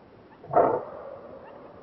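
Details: Greater kudu in Kruger National Park giving a single short, hoarse bark, an abrupt burst lasting about a quarter second that fades into quiet background hiss.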